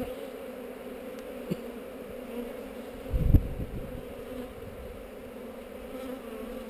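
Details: Heather-site honey bee hive under inspection, captured with a GoPro: an even buzzing hum runs throughout, with a heavy low thump and rumble of handling partway through and a small tap earlier.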